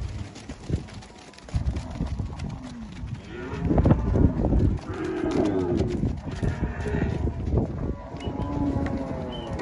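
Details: Angus cattle on Fazenda Boa Esperança, a farm in Palmeira dos Índios, Alagoas, Brazil, herd offered for sale; several deep, drawn-out moos overlap and swell in loudness, with low thumps, rustling and a faint human voice around them.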